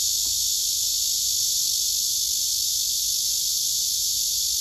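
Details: A male cicada sings on a tree trunk with other cicadas nearby, captured by phone camera: an unbroken, loud, high hissing buzz held at an even level throughout.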